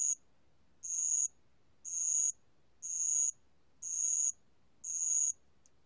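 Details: Bell cricket song from the National Institute of Biological Resources collection, 2020: high, shrill ringing trills about half a second long, repeated roughly once per second, five bursts over a quiet background.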